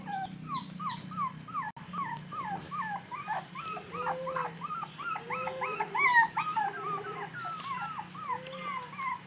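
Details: Thirsty puppy crying as it searches for its mother: a continuous string of high, arching whimpers and whines, several per second, some rising into squeaky yelps, with occasional longer lower moans, over a faint steady hum.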